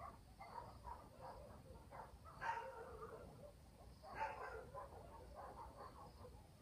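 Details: Night in a village, with dogs barking in the distance: two short, harsh barks about two seconds apart, amid softer scattered yaps and a constant low background rumble and faint insect buzz.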